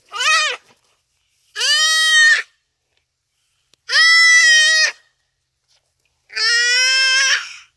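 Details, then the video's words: Common duiker crying for help in its dying moments as a cheetah makes the kill, on a rainy afternoon at Phinda Private Game Reserve. Four loud, nasal, harmonic bleats, each under a second, come roughly every two seconds with silence between. "Buck Cries for Help from Cheetah"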